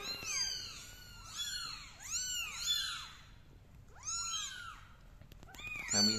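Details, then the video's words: Young kittens on a carpet indoors, crawling about and crying: a busy chorus of piercing, arched mews in overlapping clusters, with a brief pause midway before more calls and a soft rustle at the end. "The kittens crawling on the carpet and meowing are so cute"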